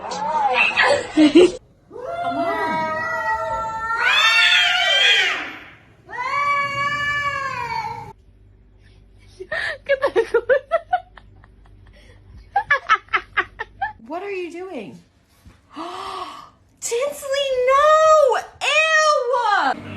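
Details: Domestic cat in a funny compilation, giving a run of loud, drawn-out meows and yowls with arching pitch, several in a row over twenty seconds with short silent gaps, and a faint voice in the background.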